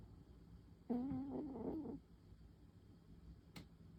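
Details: Pon, a tabby cat napping in the afternoon, gives one soft, rattling snore about a second long, broken into quick pulses, followed by quiet and a faint click.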